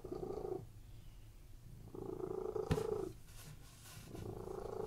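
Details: Relaxed domestic cats purring while lying on a bed: steady low rumbling purrs rise and fall in roughly one-second waves, with a brief sharp click partway through.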